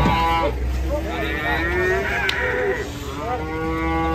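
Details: Huge, agitated cattle bellowing while being unloaded from a truck: a long, drawn-out moo that rises and wavers in pitch, then a second low moo. A steady engine hum runs underneath, with men's voices in the background.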